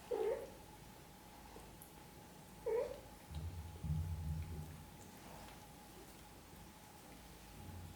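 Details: Domestic mother cat gently caring for her kittens; two short mid-pitched mews about two and a half seconds apart, with a low rumbling, purr-like sound between them, in a quiet indoor setting.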